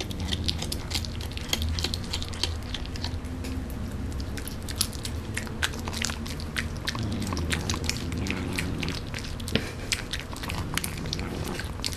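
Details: Steady crunching and chewing of food indoors, with a low background hum and no clear animal call.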